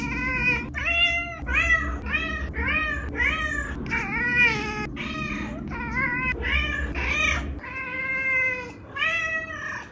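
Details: Indoor chorus from two vocal domestic cats, rapid back-to-back meows, many arched and wavering, some short chirpy ones mixed in, roughly a dozen calls with a low hum underneath for most of the stretch.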